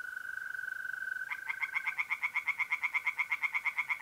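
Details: Tree frogs singing by a pond on an April night in north-east Italy: after a steady pure tone from mole crickets, a rapid pulsed frog chorus starts, fast regular croaks about three per second over the continuing insect trill.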